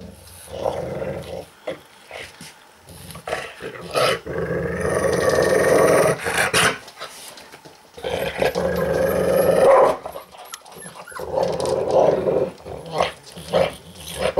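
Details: A domestic dog growls angrily while eating, guarding its food: long rough rumbling growls lasting a second or two, broken by short pauses and clicking, smacking eating noises.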